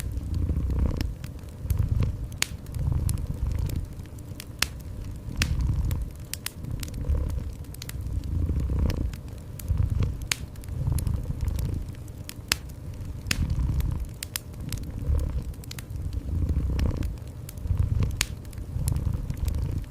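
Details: Domestic cat purring indoors beside a fireplace: a low rumbling purr swelling and fading in long breaths roughly every two seconds, overlaid with sharp, irregular crackles and pops from a wood fire.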